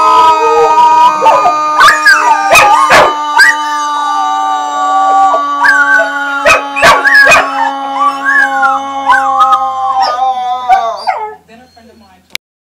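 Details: Domestic dogs howling while they do a daily morning stretch routine. Long, warbling howls swoop up and dip repeatedly over a held steady tone, with scattered sharp knocks, before everything fades to near silence at the end.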